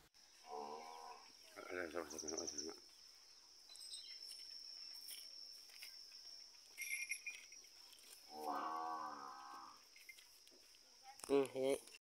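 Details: Cattle offered for sale in Nandyal district, India: a young cow and a yearling bull. Several drawn-out harmonic moos, each about a second long, separated by quiet gaps, with a steady high electronic whine throughout and a louder short call at the end.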